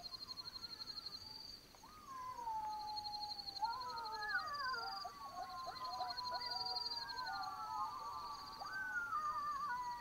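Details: Night chorus of black-backed jackals in the African bush of Botswana: layered descending wails and short yelping notes joining in after a quiet start, with a loud pulsing insect trill throughout.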